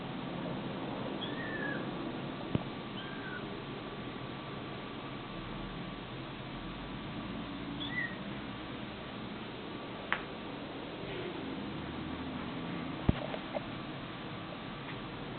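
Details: Domestic cat, from a compilation of funny cats and kittens: a few short, high, thin mews sliding downward, spaced irregularly over steady room hiss, with occasional sharp clicks or taps.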